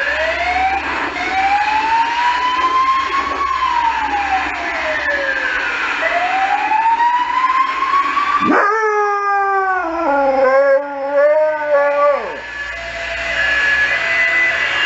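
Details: Emergency services sirens sweep up and down for the first half, then a Saluki joins in with a wavering, harmonic howl lasting about four seconds before the sirens return.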